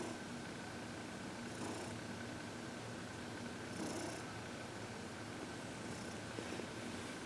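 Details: Senior cat Heidi, adopted from the Humane Society of New York City, purrs happily while receiving massage and reiki; constant throaty vibration with faint periodic inhalation swells, quiet room background.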